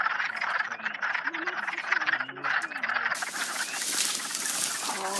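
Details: On April 30, hundreds of wood frogs, just starting to lay eggs, form a dense chorus of overlapping clucking croaks while a person talks over it.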